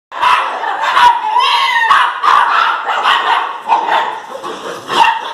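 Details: Jagdterrier dogs barking and yelping in a dense, overlapping volley of sharp, high barks with almost no pause, some drawn into brief rising whines, loud throughout.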